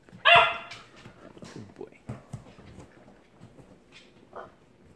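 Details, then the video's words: Saint Bernard puppy playing with Labrador Retrievers in a tussle over Kongs; one sharp, loud harmonic bark opens, followed by soft scuffling, quiet thumps and a brief faint yelp near the end. "Saint Bernard puppy VS Labrador Retrievers"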